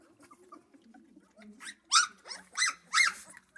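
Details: Central Asian Shepherd Dog puppies during their first feeding with the mother kept outside; after quiet soft noises, three loud, harsh squealing yelps come about half a second apart near the end.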